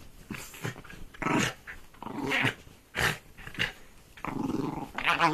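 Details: A pet dog tearing at a duvet gives harsh, noisy growls and snorts in short, uneven bursts, with muffled thumps from the play inside a small room.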